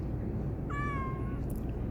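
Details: A pet cat meows back when called: one clear, falling meow of just under a second with strong overtones, over a steady low background rumble.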